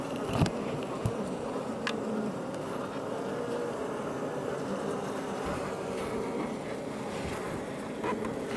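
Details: Iberian honey bees at a Langstroth hive west of Roquetes, south Tarragona, Catalonia, Spain, close to Els Port National Park, building comb; a dense continuous buzzing hum of the colony with occasional faint ticks.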